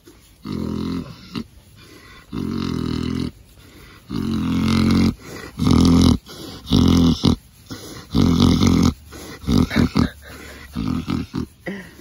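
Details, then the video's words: Pet pig snoring indoors as it falls asleep while being scratched. Deep, rough, rumbling snores last about a second each and repeat in a loose rhythm, with a faint hiss between them. "snoring pig"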